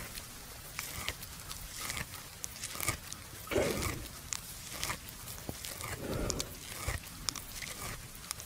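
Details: Resting buffalo chewing the cud in a farmer's field at noon, lying down: steady, uneven crunching and grinding clicks every fraction of a second, broken by two brief breathy bursts, with a calm rural backdrop.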